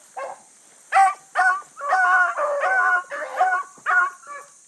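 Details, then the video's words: Pack of Bluetick Coonhounds on a big running rabbit in the early morning, 22 July 2012, a new pup among them: overlapping harmonic bawls and drawn-out howling bays in a dense chorus, with a constant high insect drone. "THE BLUE'S ON A BIG RUNNING RABBIT"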